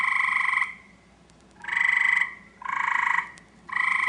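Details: An Eastern gray treefrog calls in a backyard, looking for a mate, with loud, musical trills each lasting under a second.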